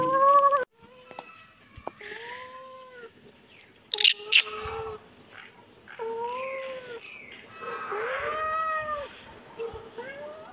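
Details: Kitten meowing repeatedly: drawn-out, arching mews that rise and fall, some short and some long, in a quick irregular series, with a brief sharp clatter near the middle.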